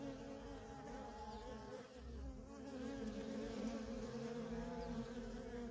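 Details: Feral honey bee colony with worker bees coming and going nonstop; layered droning hum, a brief dip near two seconds then swelling louder, with individual bees passing by in shifting pitch.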